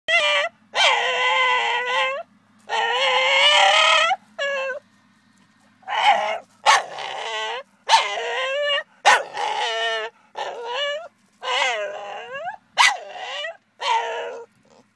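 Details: Staffordshire Bull Terrier, a 16-month-old male pet, protesting at not being allowed to sit on the owner's knee: a string of loud, harmonic, yodelling whines and moaning howls, some rising then falling, in bursts separated by short silences.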